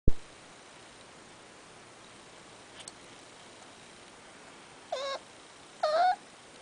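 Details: Miniature Dachshund puppies, a brother and sister from a litter born on 24 July, give two brief, high, rising whimpers in an otherwise quiet room.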